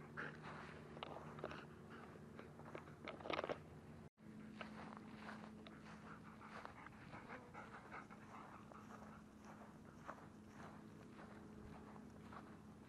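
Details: German Shepherd dog panting: quick, breathy, broadband puffs repeated in a steady rhythm, with a constant low mechanical hum underneath and a brief break in the sound partway through.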